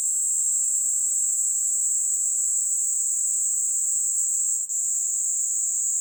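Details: Male-style continuous shrill drone from a Kaempfer cicada resting on someone's hand, Kanto, Japan, July 26, 2022; the high buzz runs unbroken, with one brief click-like dropout partway through.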